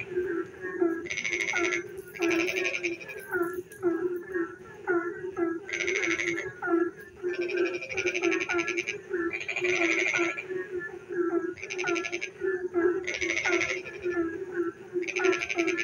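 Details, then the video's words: Rainy-night frog song from many frogs: a continuous low buzz, frequent brief upswept chirps, and about ten loud grating pulse bursts, each under a second, spread across the recording. "frog singing in the dark night when it rains"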